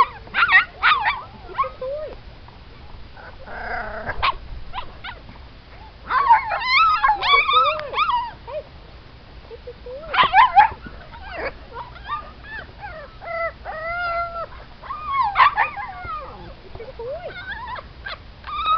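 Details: Siberian Husky puppies from a show and racing litter whimper and yip, high wavering squeals and short yelps overlapping in bursts, several pups calling at once with brief pauses between flurries.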